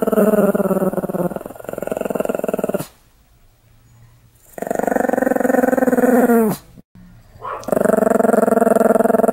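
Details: An angry Pomeranian snarls furiously in long, rattling, harmonic growls that swell and dip, broken by short pauses.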